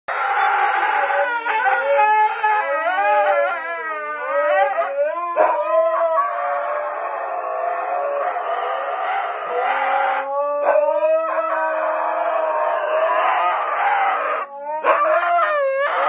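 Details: Two huskies howl and 'talk' while trying to irritate a golden retriever: long, wavering, sliding howls with shifting pitch run almost without pause for sixteen seconds, broken by a few short yips and brief gaps.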